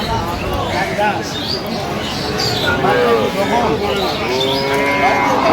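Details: Improved-breed dairy cows and calves at Aftabganj cattle market, Dinajpur, on 21 October 2025; several overlapping drawn-out harmonic moos rise and fall amid steady crowd babble and market noise.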